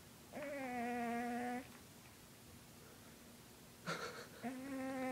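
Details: Lucifer, a 20-pound domestic cat, snoring while asleep: a steady, humming drone rich in overtones lasts over a second, then a quiet pause of nearly three seconds, a short rustle, and the drone starts again.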